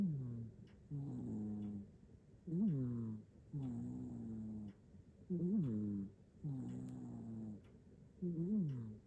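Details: Sleeping deeply, Nana the hachiware cat in Japan snores on an iPhone 15 Pro Max recording: steady buzzy hums followed by short swooping nasal tones, a slow regular breathing cycle about every three seconds, nothing else audible.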